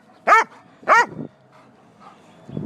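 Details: Bella, a hungry pet dog asking for her supper, lets out two short, high, arching yelp-barks about half a second apart. A brief softer whine trails the second one, and faint indoor noise follows.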